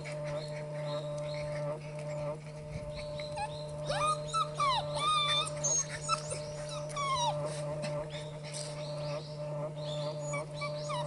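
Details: Four Border Collie puppies, two males and two females, littermates born 24 September 2016 and 50 days old, romp together. High squeaky whines and yelps with rising and falling sweeps cluster mid-clip over a steady low electrical hum.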